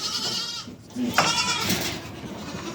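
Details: Goats and their kids meet and suckle on a village farm in the morning, with a kid apparently searching for its mother. Goats bleat in brief, quavering, nasal bursts over a constant broadband hiss and rustling.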